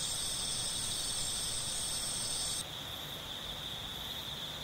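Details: Continuous high insect trilling from a fixed camera position, a dense steady chorus that drops suddenly in loudness partway through, leaving one thinner ongoing trill.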